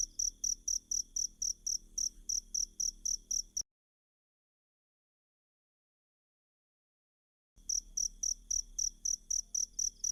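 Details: Cricket song played to tutor caged magpie-robins, a steady train of bright high-pitched pulses near four per second, broken by a four-second silent gap before the chirping returns.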